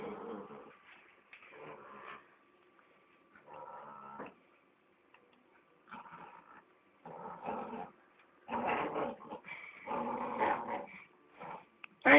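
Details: Thai Ridgeback dog from a breeding kennel in Spain making repeated rough growling and whining bursts in uneven pulses, with pauses between, growing louder near the end.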